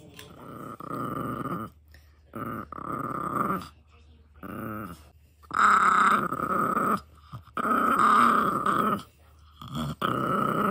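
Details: Shiba Inu named Yoshi growling indoors while disturbed during her dinner of a bone, not liking the interruption; sustained rumbling growls in bursts of one to two seconds with short pauses, a few louder rising snarls midway, brief human praise afterward.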